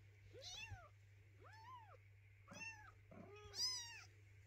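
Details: Hungry kitten meowing beside its mother cat: four short arched meows, each rising then falling, spaced about a second apart, over a steady low hum.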